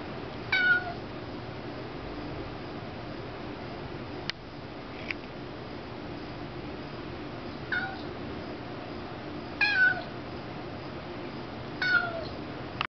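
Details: Merlot, a kitten, meowing at little bugs that flew in and sit on the ceiling; short high meows come in spaced bursts about every two to three seconds over a steady indoor hum, with a few faint clicks between.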